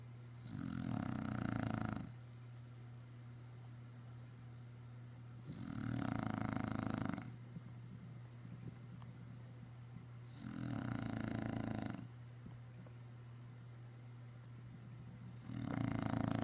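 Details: English Bulldog asleep after a busy day of running outside, snoring in a regular rhythm: four harsh, rattling inhaled snores, each about a second and a half long, coming roughly every five seconds, with a low background hum.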